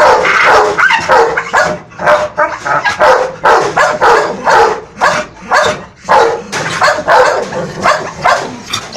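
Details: American Bully barking angrily, turning on its Boerboel companion; a rapid run of loud, harsh barks about once a second, overlapping into near-continuous bursts throughout.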